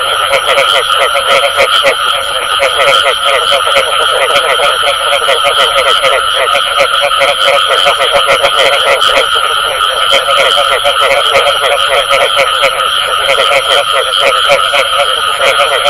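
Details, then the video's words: Dense calling of many frogs, including the 'bù tọt' sound: continuous layered croaks and quick pulsed notes that never stop, backed by a steady faint high whine. "Tiếng Ếch Kêu Có Tiếng Bù Tọt"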